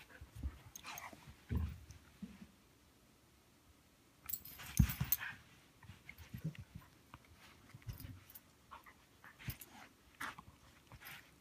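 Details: Two Siberian huskies, a puppy and an older dog getting to know one another, trade low, rumbling growls and panting grunts in bursts of rough play. Siberian husky.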